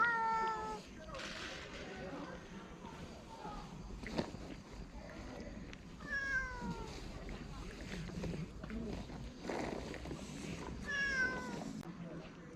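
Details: Stray cat grumbling while guarding its food so it won't be taken; drawn-out, falling, harmonic-rich meow-like calls come in several bursts, the clearest near the start, middle and end, over human speech and a low outdoor murmur.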